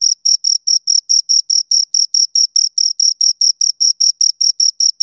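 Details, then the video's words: Two crickets stridulating in a brisk, regular beat, bright high chirps about every 0.4 seconds, strong and clear against total quiet. "Two Crickets Chirp Sounds"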